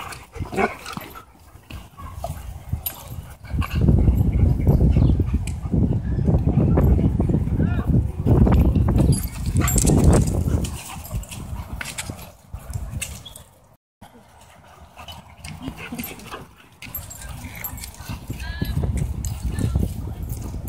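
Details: Two German Shepherds and a German Shorthaired Pointer playing together at a dog park, giving low, rough, barks and growl-like bursts in dense runs amid scuffling, a quieter pause midway, then a person calls out "Hey".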